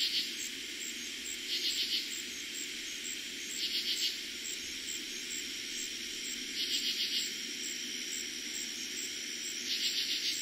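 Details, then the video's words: Night chorus of katydids in eastern PA, summer 2021, the first night they were heard that year: grating pulsed phrases repeated roughly every two to three seconds above continuous high-pitched cricket trilling and a low rumble. "Katydids and Crickets Sounds at night"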